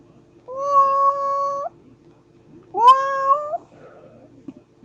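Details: Baby cats meowing: two long, steady, tonal meows, the second starting with a rising swoop and ending with a slight upturn, followed by a faint click.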